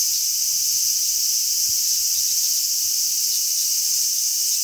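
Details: Many large brown cicadas on a zelkova tree on 3 August 2010 fill the air with a steady, sizzling high drone like oil frying, with strong sea breeze.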